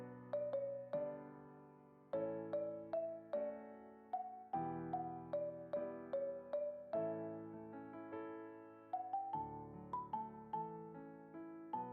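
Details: Gentle electric piano melody plays throughout, with repeated notes and chords and no animal voice audible.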